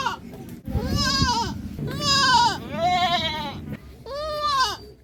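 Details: Series of four or five quavering goat bleats, some rising then falling in pitch, sounding over a steady low rumbling background noise.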